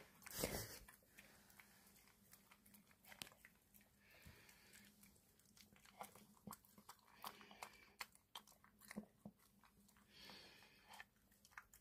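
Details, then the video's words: Dog eating prescription wet food from a mini can, indoors; irregular soft wet clicks and crunching bites scattered throughout, with a loud rustling burst near the start. "강아지 먹방"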